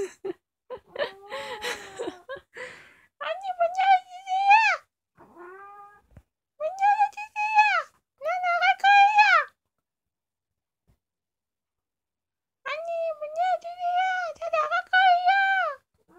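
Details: Kkomaengi, the family's youngest cat, an orange female about two years old, recorded indoors at night: a run of rising, bending meows in bursts of two or three with short silences between, and a human voice early on.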